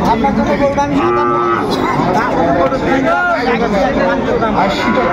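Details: Sahiwal bull calves bought by a farmer at a cattle market in Faridpur, Bangladesh, on 28 February 2025. A low, drawn-out moo rises near one second and again around three seconds, over constant crowd chatter and speech.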